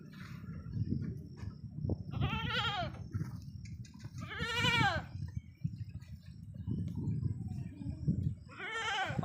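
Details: Sirohi goat kids kept on a farm in Ajmer, three loud, vibrato bleats spaced a couple of seconds apart over a rumbling, noisy farmyard background.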